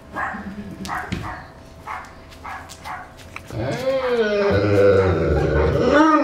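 A Newfoundland dog starts with a run of short, evenly spaced huffs. It then lifts into a drawn-out howl whose pitch wobbles and slides, rising and falling over several seconds.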